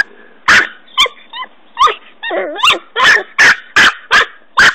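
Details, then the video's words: Norfolk Terrier puppy named Ben digging a hole by a tree, giving sharp yappy barks mixed with short rising whines and squeaky yips, the barks coming in a quick uneven run toward the end. "Norfolk Terrier puppy digging"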